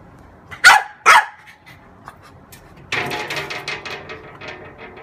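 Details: Female French bulldog playing with her mirror image: two loud sharp barks close together, a pause, then a spell of softer huffing, snuffling sounds.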